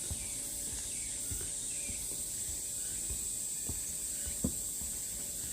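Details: Namwon, Korea, 16 August 2019, Deogeumsan Solbaram-gil pine trail: a thick, even wall of high cicada buzzing, with occasional soft taps and a faint bird call early on.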